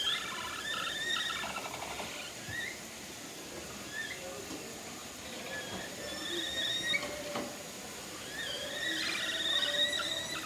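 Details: At Nagasaki Bio Park a herd of capybaras sings in unison while visiting the breeding male Toku, who also sings. Squeaky chirps and short buzzy trills overlap, some sliding upward, with a faint background hum.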